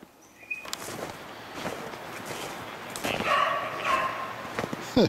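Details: Beagles hunting snowshoe hare in woodland on 25 February 2016: after quiet rustling, drawn-out harmonic bays ring out in two long phrases, with outdoor ambience and a sharp knock at the end.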